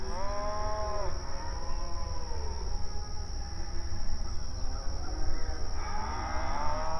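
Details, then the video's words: Cattle grazing on open range pasture, mooing and communicating; one moo at the start, quieter lowing in the middle, then a rising moo near the end, over low rumble and constant hiss. "Outdoor Pasture Cattle Grazing Sounds"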